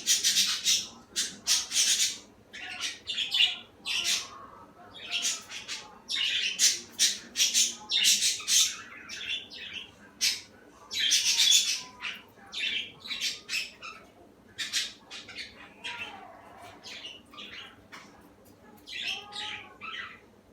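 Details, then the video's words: Female guinea pig eating cucumber skin; crisp, dry crunching bursts come in quick irregular runs, some fast and clustered, others spaced by short pauses, in a quiet indoor setting. "My Guinea pig eating cucumber skin"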